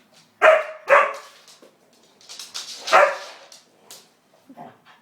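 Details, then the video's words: White pet husky barking at a hoover it dislikes: a few sharp, loud barks in quick pairs, with scattered softer yips and sounds between them. "does not like the Hoover"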